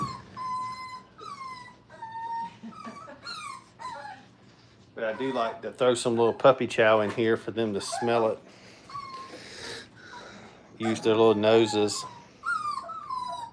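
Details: Brittany puppies, five weeks old, at play in a training kennel give high, drawn-out whines and falling yelps at the start and end, interrupted midway by a person talking in a small room.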